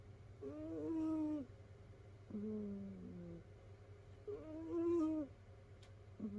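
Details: A sleeping domestic cat from a household of rescued cats snores in high, whistled tones; three drawn-out snores alternating higher and lower, with a short squeak at the end and a low steady hum underneath.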